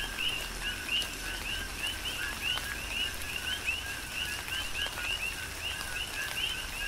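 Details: Many coqui frogs on the Big Island, Hawaii, calling together in a rain shower: sharp, high, rising chirps paired with lower short notes, repeated in an unbroken rhythmic stream, with rain patter and distinct drops.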